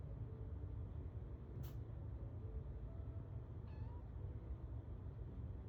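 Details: A cat named Irang sneezes while looking out the window where catnip had been sprinkled: one sharp, brief, hissing burst partway through, over a steady low rumble, with a faint short squeak later.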